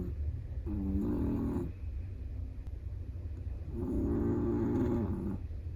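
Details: A Chihuahua asleep and relaxed lets out two long rumbling snores about three seconds apart, each a drawn-out buzzy rattle with a soft pause in between, set against a constant low background hum.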